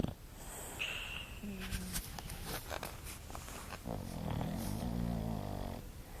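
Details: Sofia, a pet English bulldog, sleeps and snores. Scattered clicks and brief tonal sounds come first, then a low, rumbling, harmonic snore swells and holds for about two seconds before fading.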